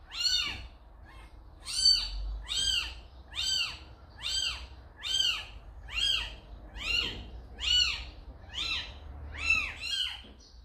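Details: A kitten, carried to a house by its calico mother cat, gives a run of high, arched meows about every 0.7 seconds, each rising then falling, steady and insistent over a low background hum.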